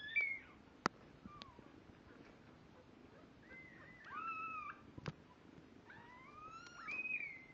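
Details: Kittens two weeks old, newly able to see and starting to walk unsteadily, mew repeatedly in high, thin, bending cries, some paired or overlapping, separated by quiet gaps and a few sharp clicks or taps.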